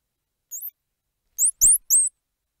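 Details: Squirrel monkey chirps: a few very high, sharply rising twittery notes, one alone and then three close together, the last ones loud and clear, with a faint low thump among them.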